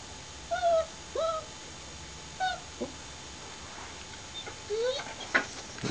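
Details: Long-haired German Shepherd making short, high, rising whines and yelps, a few spaced notes over quiet hiss, with a brief clatter near the end.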